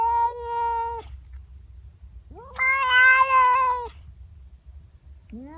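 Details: A female house cat in the morning objects to a neighbour's cat intruding in her garden. A steady yowl ends, then a louder, harsher wail wavers for over a second, and another rising yowl begins.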